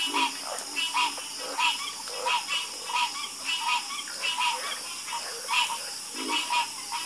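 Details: Frog chorus with clear, repeated, throaty croaks pulsing roughly every second in an uneven rhythm, several frogs overlapping. A faint continuous high hiss sits underneath.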